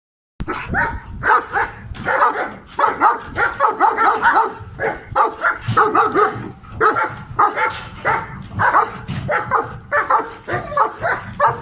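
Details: Adult male German Shepherd barking aggressively, a rapid run of loud harsh barks repeated in close bursts, roughly two to three per second, with hardly a pause throughout.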